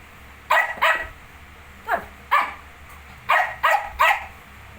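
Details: Rapid run of small-dog yaps from a Shih Tzu alongside 19-day-old puppies: about seven quick, high barks in irregular bursts, some in close pairs and triplets, indoors with little other noise.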